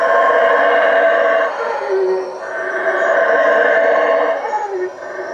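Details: Howler monkeys calling at night in the treetops around a hut at Lake Peten Itza, Guatemala: a dense, rough, droning roar held for the whole stretch, dipping briefly midway, with a thin high insect-like whine behind it.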